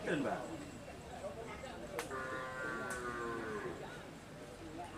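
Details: Cattle at a karapan sapi bull racing training session at the Asemanis field, Pamekasan, Madura, East Java, Indonesia; a drawn-out lowing moo lasting about two seconds rises through a noisy background of crowd murmur and a couple of sharp clicks.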